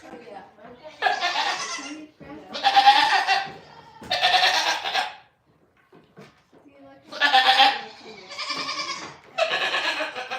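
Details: Goats on The Willful Goat Farm & Home let out a string of harsh, rough bleats in two groups of three, separated by a short quiet gap, with faint voices in the background.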